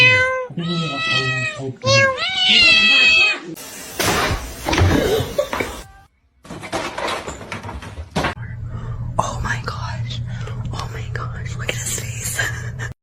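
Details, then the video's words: Domestic cats in a cat fight, drawn-out harmonic yowls rising and wavering over the first three seconds, then a burst of scuffling noise, with people talking through much of the clip and a steady low hum indoors. "Cat Fight"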